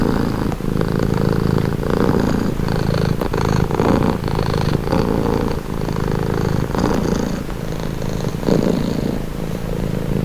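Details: Cat purr: a continuous low vibrating rumble rising and falling in regular in-and-out breaths, each lasting around a second, with a light hissing breath noise on top.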